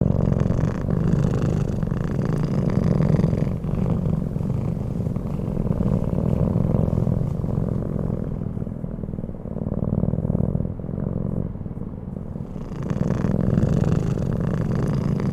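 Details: Keanu the cat sleeping and snoring: steady low rumbling breaths dominate throughout, a continuous purr-like drone with slight swells and no other clear sounds.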